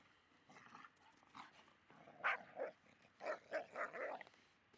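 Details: Lucy, a Labrador Retriever, vocalizes while playing with a Staffordshire Bull Terrier, noisy in play rather than aggressive; rough bark and growl bursts, scattered early then louder and closer together in the second half, about six sharp peaks.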